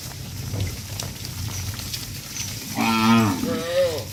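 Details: Tame cattle being herded back to the farm pen, one of dozens: a low background rumble, then a loud drawn-out moo with stacked harmonics near three seconds, followed by a shorter rising moo.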